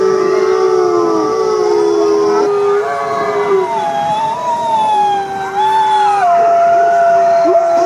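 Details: Group of wolves howling to communicate and bond with their pack, several long sustained notes overlapping, one voice rising and wavering while lower steady tones drop in and out, a dense unbroken chorus.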